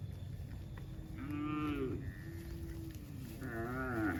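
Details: Cow in a herd walking slowly home across a countryside pasture on a rainy evening in drizzle, calling to herd mates: two soft, low, drawn-out tonal moos that waver, with a higher overlapping call, over steady rain hiss.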